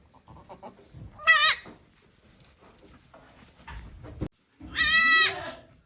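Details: Newborn goat kids, one day old, at a goat farm in Japan on 17 April 2024; two strong harmonic bleats, a short one then a longer wavering one, separated by quiet shuffling and a sharp knock.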